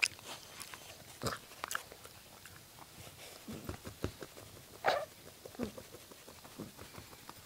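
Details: Minnie, a black Puggle, chewing on plastic and making her funny 'onking' noises: scattered clicky crunches and snorting bursts, with one louder nasal honk near the middle, indoors in a small room.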